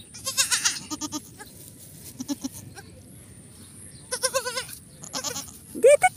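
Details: Goat during the birth of her kids on a farm: short wavering, quavering bleats, one at the start and a tremulous burst past midway, with a brief rising cry at the end, over background music and low murmuring.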